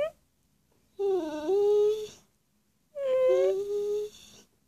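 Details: Pet dog Charlie answers his owner in two long, wavering, moaning whines, each rising then flattening out, separated by about a second of silence in a quiet room.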